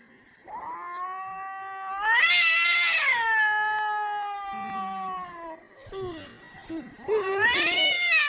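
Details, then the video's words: Two domestic cats, one white and one brown, crying with a child-like voice: long drawn-out harmonic wails that rise then slowly fall, a sustained cry from about two to six seconds and a second rising wail near the end. "White Cat and brown Cat crying"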